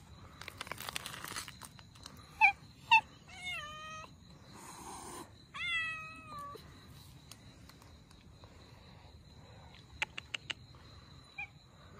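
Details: Abandoned Russian Blue mother and kittens during their rescue: a series of short, harmonic meows, some dropping in pitch, come in quick bursts amid rustling and sharp clicking noises.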